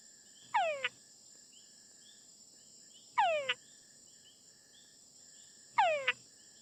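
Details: Three calls from a male túngara frog, a call the fringe-lipped bat exploits to locate and eat it. Each is a descending whine closed by a brief chuck, spaced roughly 2.5 seconds apart against a constant high-pitched background drone.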